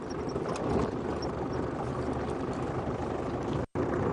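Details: Steady low vehicle engine rumble and broadband noise with no animal calls, briefly cutting out near the end.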